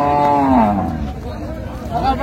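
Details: Cattle at Raniganj livestock market (haat), Dinajpur, on 12/6/25, where improved-breed dairy cows and calves are sold: one short falling moo, low and harmonic, fading under loud market chatter and voices.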